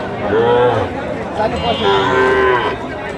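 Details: Sahiwal bull calves at a cattle market in Sylhet, Bangladesh, on 8 October 2025; two drawn-out, mid-pitched moos, a short one followed by a longer, steadier one, over a constant murmur of market crowd noise.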